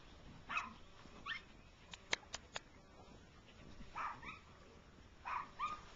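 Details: Six-week-old rough coat Jack Russell Terrier puppies running in grass with their mother; short high yelps and whines in bursts, with a few sharp clicks between them.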